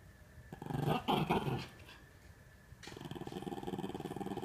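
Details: Norfolk Terriers wrestling and keeping another dog, Ernie, under control during play; low rumbling growls with a louder burst near the start, then a steady pulsing growl continuing to the end.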